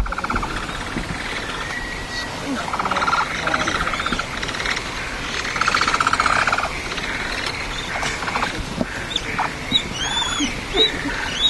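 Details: Capybara father, an adult male, breaking up the group's neat formation. Trains of rapid clicking pulses and short squeaky bursts repeat through the clip, with chirps from birds and faint outdoor background noise.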